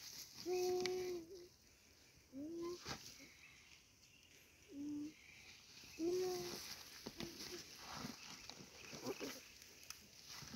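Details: A goat under attack, being eaten alive by a Komodo dragon, gives four short, hoarse bleats spaced a few seconds apart. A steady hiss of background noise and scattered faint clicks surround the calls.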